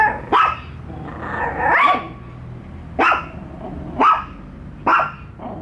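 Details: Bico and Faith, two household dogs, barking on their first encounter with a toy dog: five loud, sharp barks about a second apart, with a fainter yelp near the start.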